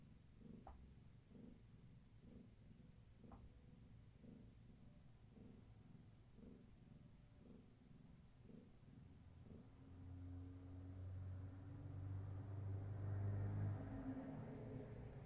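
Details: Kitten of Gaia, a long-haired tabby, purring during an evening session of play and leg massages; a low rumbling purr pulses steadily, roughly once a second, for about ten seconds before louder rustling handling noise takes over.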